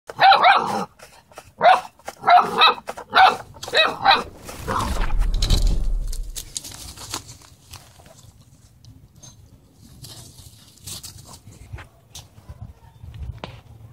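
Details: Mighty, a seven-week-old brindle male English Mastiff puppy, playing around: a run of short, sharp, yappy barks about every half second for four seconds, then a low rumbling thump and quiet shuffling.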